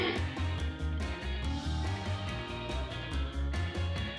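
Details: Rock music with a driving beat, bass and guitar fills the whole passage, with no distinct animal sound.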